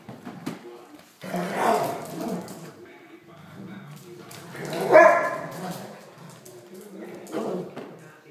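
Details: Two Weimaraners playing trade gruff barks and rumbling growls, each burst lasting under a second with lulls between. A human voice can be faintly heard in the background.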